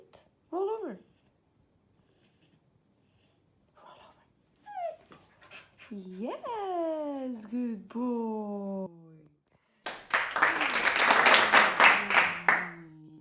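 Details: Male beagle born in Cairo, Egypt, begging for a treat indoors during a basic training session; a few drawn-out whines slide downward from high pitch, then a loud broadband burst of music and applause, with a person's short commands and praise.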